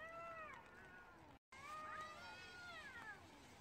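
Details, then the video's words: Stray cats in a rainy street fight, yowling in sustained, wavering wails with a brief gap, then another long drawn cry sliding up and down over constant rain noise. "길냥이싸움 울음소리"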